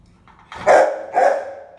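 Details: One-year-old tricolor female terrier giving two loud, sharp barks about half a second apart, each clipped and mid-pitched with a brief fading tail.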